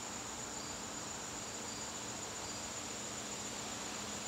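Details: Continuous high-pitched cricket trilling in a garden during a September evening, an unbroken shrill tone set against soft steady hiss.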